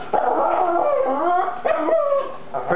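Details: A Boston Terrier barks at the wall at a daddy long legs spider, which he then eats, with drawn-out, wavering, howl-like barks that rise and fall in pitch.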